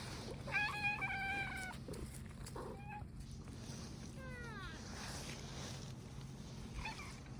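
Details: Stray tabby cat approaching with a drawn-out meow, first a level, steady cry of about a second, then a brief falling call and a short later one, over a low steady hum and outdoor background.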